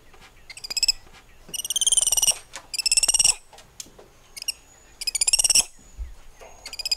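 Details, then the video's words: Spider monkeys among the treetops utter shrill, trilling harmonic cries in roughly one-second bursts, with brief quieter chirps in between, repeated irregularly. "Spider Monkey Symphony"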